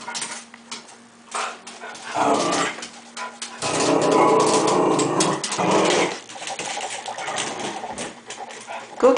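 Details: A cocker spaniel confronting a bug growls and grumbles in rough bursts while a person urges it on.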